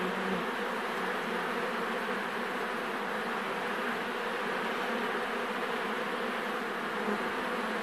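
A dense, steady hum of thousands of honey bees buzzing together.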